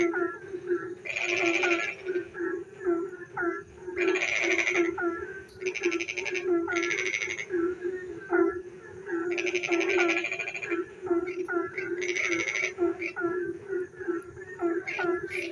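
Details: Frogs singing in the dark during rain near a village, irregular bursts of rapid rattling croaks separated by pauses filled with short bent chirps, over a continuous low hum.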